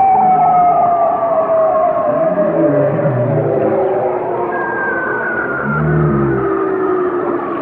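Whale song: long, slowly falling moans with overtones, over a steady wash of underwater noise.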